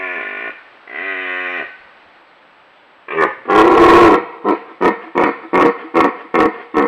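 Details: In the Scottish Highlands in autumn, a rutting red deer stag roars loudly: drawn-out moans, then a harsh bellow breaking into rapid grunts.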